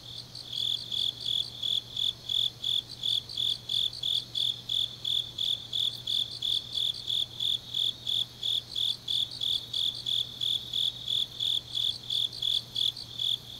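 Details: Grass insects on a deep autumn night in Changnyeong, South Gyeongsang, Korea: high, bright chirps pulsing about three times a second in a steady rhythm, a second fainter insect trill layered above, with a low constant hum beneath.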